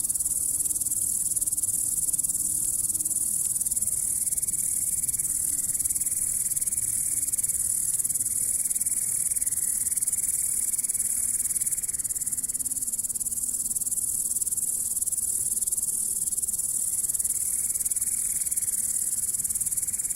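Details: Grasshopper sound: an unbroken, shrill high-pitched buzzing trill lasting the whole stretch at even strength, with faint low murmurs in the background.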